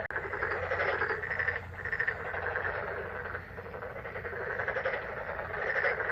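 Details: Croaking frogs in May, a crowded chorus of rapid pulsed calls layered over one another, continuous throughout with a short lull near the middle and a faint low hum.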